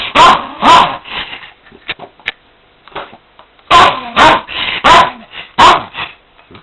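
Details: A dog trying to attack a vacuum cleaner barks sharply indoors: two harsh barks close together, a pause filled with quieter snuffles and clicks, then a burst of four loud barks spaced about half a second apart.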